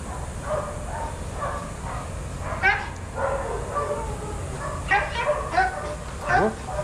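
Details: Several adoptable shelter dogs playing together at a daycare give short harmonic barks and yips, scattered irregularly and overlapping, with a louder bark near the end, over a steady hiss of room noise.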